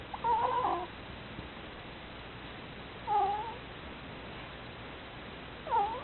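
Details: Sleeping pet ferret snoring softly. Three short, squeaky, whistle-like breaths with a bent, rise-and-fall pitch come roughly every two and a half to three seconds, separated by quiet hiss.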